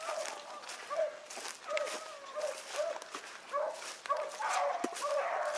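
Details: A pack of rabbit hounds, including an Oakhill pup, baying on a morning hunt at Salt Lake WMA, 2 February 2018; short yelping bays repeated about twice a second from several dogs, with light background rustle.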